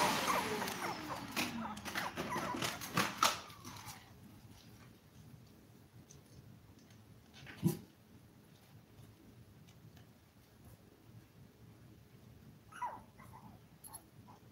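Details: Five-week-old toy poodle puppies, a litter of seven, indoors while eating, playing and sleeping; a drawn-out whine slides downward in pitch over the first four seconds amid clicks and rustles, then quiet room tone with scattered soft taps.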